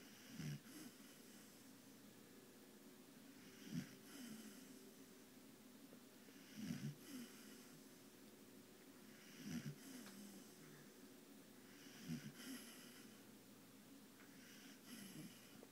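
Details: A female Bull Terrier resting after a long day snores in slow, rumbling breaths, about one every three seconds.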